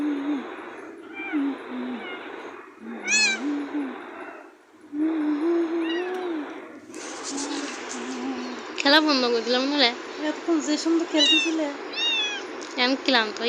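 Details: Cat giving a few slurred meows early on, then a busy stretch of repeated bright, bending meows in the second half, with a low continuous tone and talking-like murmurs underneath.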